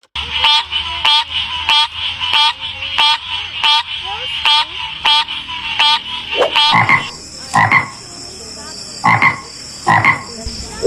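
A frog gives rapid, rasping pulsed croaks about twice a second, then shifts to slower, louder honking bursts.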